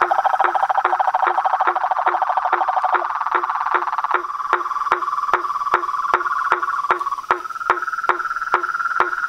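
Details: Chorus of frogs, toads and tree frogs: a rapid pulsed trill that shifts in pitch partway, punctuated by about twenty sharp knocks spaced evenly across the recording.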